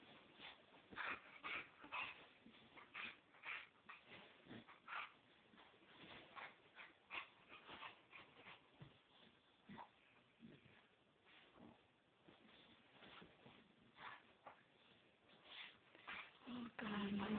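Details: Pet Chow Chow rolling around on a yoga room floor indoors: steady rustling thumps from its rolling, broken by short whimpers and high yips scattered throughout, with a brief low drawn-out whine near the end.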